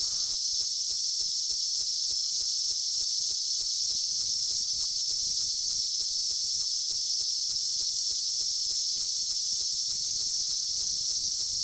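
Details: Massed periodical cicadas from a 2004 seventeen-year emergence fill the air with a constant shrill hiss-like drone, a faint rapid ticking running through the lower background.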